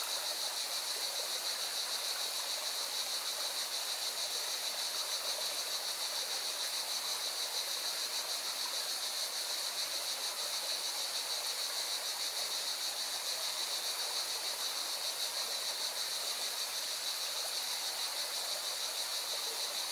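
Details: Cicadas sing by a mountain river in Valencia, Spain, their continuous high, rasping drone pulsing without a break, with the loud steady hiss of rushing water filling the lower range throughout.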